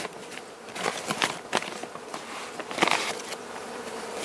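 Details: Honey bees of the Carniolan race, hive opened for Mountain Camp feeding on a cold March day in southern Finland, queen present; an even droning buzz holds steady while sharp clicks and rustles burst through.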